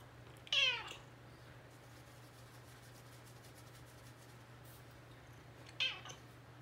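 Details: An extremely affectionate female Bengal cat gives two short, harmonic meows several seconds apart in a quiet room.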